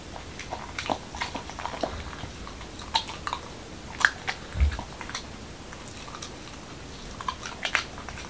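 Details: Momo, a male Corgi in Washington DC, eating a dog-friendly taco of whole wheat shell, cucumber and lean ground beef indoors; scattered soft crunches and sharp chewing clicks come at irregular intervals against a quiet room.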